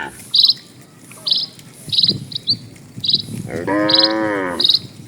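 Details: A single sustained, falling moo rises late from a herd of dozens of cattle crossing a tranquil village road; before it, a bird sings evenly spaced high chirps over soft background noise.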